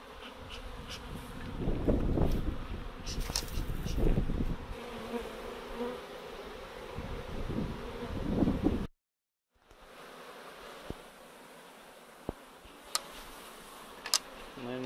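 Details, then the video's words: Swarming honey bees being gathered from a chain-link fence with a swarm catcher, a dense, low droning buzz with loud bumps and handling thuds, a brief dropout midway, then a quieter steady hum with a few sharp clicks. "How to deal with a swarm of honey bees"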